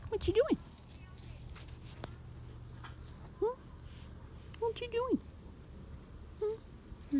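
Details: Kinder goat kids with their mother in Zlateh's Kinder herd, Los Alamos, New Mexico: short arched, harmonic bleats come in scattered bursts over low rumbling background, with a woman's voice talking to the kids.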